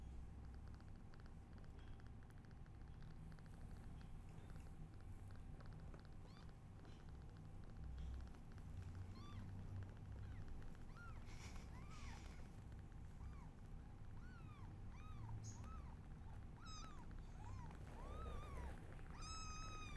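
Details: Newborn kittens meowing while their mother is unwell; after a quiet stretch of low background hum, thin high-pitched arched mews begin around midway and come in quick succession, growing more frequent and slightly louder toward the end.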